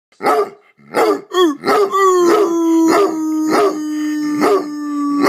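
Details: Pet hound dog, coaxed by its owner to howl along: three deep, sharp barks, then a long, steady howl lasting over three seconds that falls very slightly in pitch, with strong overtones and further barks punctuating it.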